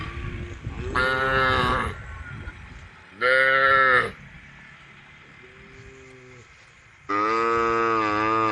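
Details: Several tame cows, all female, call to the herd with a run of strong moos. Three loud bellows of about a second each and one softer, lower moo come at uneven gaps, over a faint background hum.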